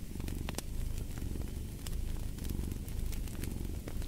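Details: Close, loud cat purr, a dense low vibration with short pauses marking each breath, accompanied by light popping and sizzling of a fire in a fireplace.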